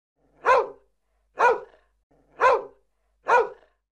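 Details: Dog barking four times, short sharp woofs spaced roughly one second apart, each bark clipped and punchy, with silence in between.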